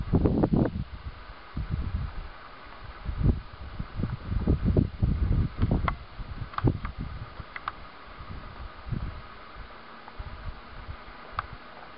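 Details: Rustling, wind buffeting and low thumps outdoors, with no clear animal voice. Faint scattered clicks appear, but no calls stand out.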